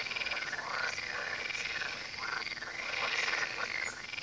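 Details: Frogs calling beside the Tywa river form a dense chorus of overlapping croaks, with rough, rattling calls layered over one another and sounding continuously throughout the short stretch.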